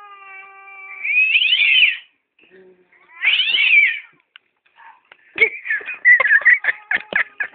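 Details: Attacking domestic cat: a long level moan slides into a harsh rising yowl, a second strident yowl follows, then a rapid run of spitting, hissing bursts and short snarling cries.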